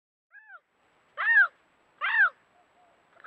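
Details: Bobcat vocalising as a raccoon and rodent repellent: a faint short note followed by two clear, arched, cat-like mews less than a second apart, in near silence.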